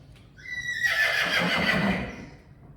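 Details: Friesian horse from a herd whinnies during mane washing: a loud, shrill neigh starting high, then a broad, trembling descending whinny lasting about a second and a half, with Dutch speech nearby.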